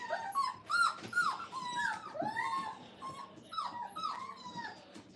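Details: Five-week-old Brittany puppies during their second day of crate training in a kennel, giving a rapid string of high whining whimpers and yips that rise and fall, several overlapping, with a person talking.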